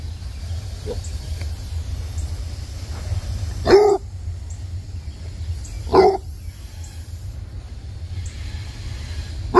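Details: Basset Hound puppy barking while playing with a water hose on a warm day in Tennessee; three short, sharp barks spaced about two seconds apart over a steady low rumble of running water.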